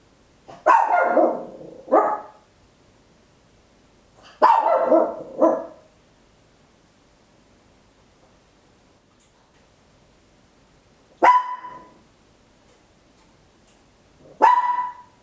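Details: Papillon, a tiny dog, barking very loud at home on an Olympus LS-11 stereo recorder: two pairs of quick double barks early on, a long pause, then two single clipped yaps near the end.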